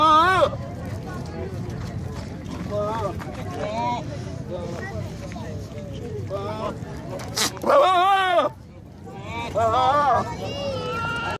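A goat gives wavering, nasal bleats between stretches of people talking.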